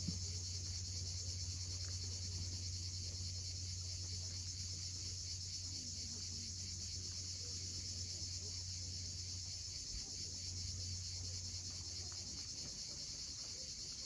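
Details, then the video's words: Cicadas calling at sunset on the steep coast of Cape Fiolent, Crimea: a steady, unbroken high shrill hum that never pauses, over a low rumble of sea waves. "Cicadas at sunset."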